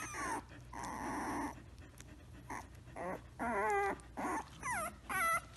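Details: Samoyed puppy indoors producing a series of varied whines and whimpers: a flat sustained cry, then several short wavering, rising and falling yelps in quick succession toward the end.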